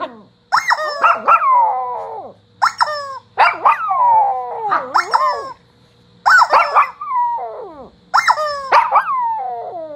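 A Shih Tzu howls in short bursts of high, wavering, falling yelps, separated by brief pauses.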